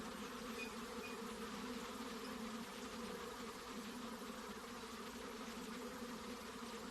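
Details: Continuous buzzing of honey bees, a dense steady hum with stacked low bands and broad hiss, no pauses across the whole stretch.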